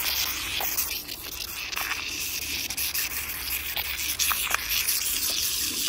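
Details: Rough rasping of a tiger's tongue scraping an emptied cream container, continuous sandpaper-like rubbing with scattered small clicks and taps throughout.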